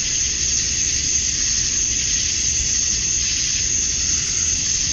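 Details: Male cicadas calling to attract females at dusk on a summer night in Georgia, USA: a dense, unbroken high buzzing drone holding steady at the same pitch throughout, with no pauses or clear individual pulses.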